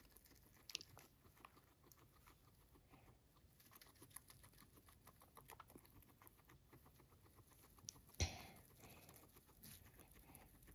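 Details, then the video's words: Pet guinea pig Max, fed grass indoors, crunching as he eats: a steady run of quick, dry clicking bites packed closely together, with one louder knock near the end. "I feed Guinea pig Max grass, he crunches"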